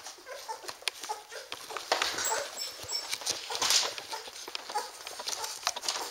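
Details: Standard Poodle puppies, eight of them, fat and happy while nursing from their mother indoors; soft squeaky whimpers and clicking suckling sounds come in scattered bursts, with rustling and a woman's voice faintly nearby.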